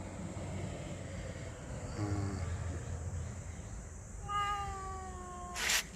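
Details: Domestic cat meowing beside a wood fire where native chicken is being cooked, drawn by the smell; a short meow, then a longer, falling meow with rich overtones, over low background rumble and a brief sharp noise at the end.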